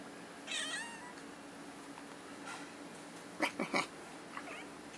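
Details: Young kitten indoors, spooked by an air conditioner: a short rising-falling meow early on, then a cluster of three quick chirpy cries and a faint final chirp over a steady background hum.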